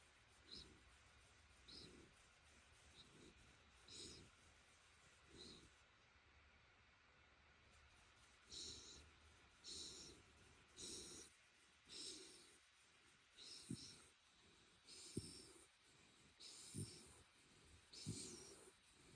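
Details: Shiba Inu named Ranmaru lying on a futon, its head rubbed in a favourite 'chori-chori' stroking style, drowsily huffing 'fii' through its nose and sometimes 'fugo'; soft breathy nasal puffs recur about every one to two seconds in a quiet room.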